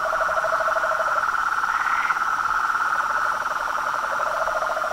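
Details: Chorus of frogs and toads: loud, continuous rapid pulsing trills layered at two pitches, a short higher rasp near the middle, steady throughout.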